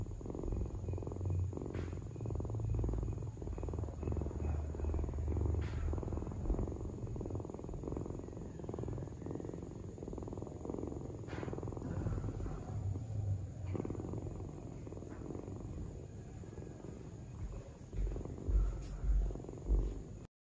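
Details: Domestic cat purring: a steady low rumble with rapid pulsing through most of the twenty seconds, fairly quiet, with faint clicks and rustles and a constant high electronic whine in the background.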